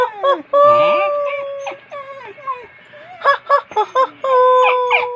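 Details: Dog answering its owner's talk with long, steady howling tones that bend up and down, broken by short yelping syllables, with a person's voice and background music at times.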